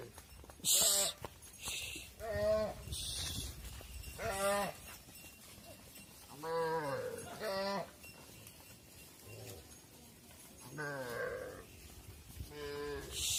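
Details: Cattle at a barn, mothers going inside as calves remain outdoors; several short moos and bleat-like calls scattered across the recording, with sharp high clanks and knocks between them.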